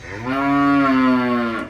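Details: A farm heifer moos once, loud and close. The call is a smooth, sustained tone of about a second and a half, holding level before sagging slightly in pitch at the end.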